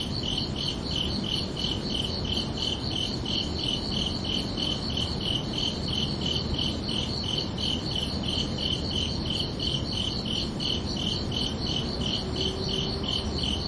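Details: Crickets chirping under a night sky on a summer evening: a steady train of bright, high chirps, about three each second, never pausing, over a soft low rumble of background noise.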